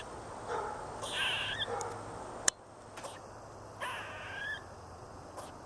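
A squirrel gives harsh, raspy chirping calls in two short bursts, with a sharp click between them.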